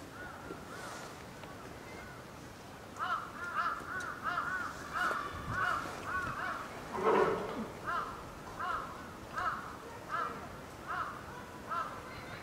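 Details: Lila, a nine-month-old female polar bear cub at Maruyama Zoo, Sapporo, Hokkaido, Japan, fussing near lunchtime on a stormy typhoon-affected day, 2 October 2015, apparently hungry; after a brief lull, arched whining cries repeat rhythmically, nearly one per second, one louder cry mid-sequence.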